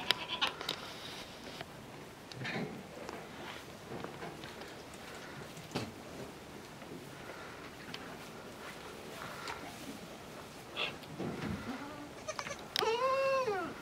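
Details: Newborn miniature goat kids, the farm's first of 2019, with one clear wavering bleat near the end after a stretch of quiet rustling and faint farmyard noise.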